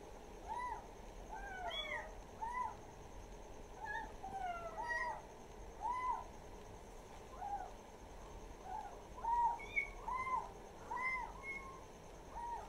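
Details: Kittens kept as village pets give soft, repeated high meows roughly every second, short arching cries layered over steady background hiss.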